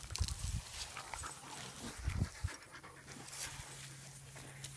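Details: Basset hounds making noises: two short bursts of low, rough snuffling grunts, one near the start and another around two seconds in, over a steady low electrical hum with quiet stretches between.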